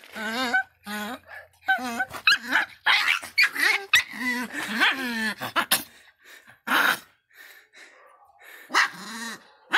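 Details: Angry Miniature Pinscher Faísca barks in rapid, high-pitched bursts, the sharp yips coming in clusters with brief silences and a few noisy thumps.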